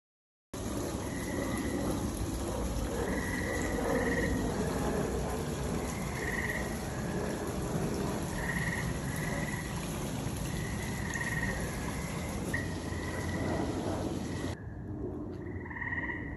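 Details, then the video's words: Noisy frogs calling at night under a full moon: a dense, steady chorus of short croaking notes, with higher buzzy calls recurring every second or two and a constant background hum of many callers. "Noisy frogs at night"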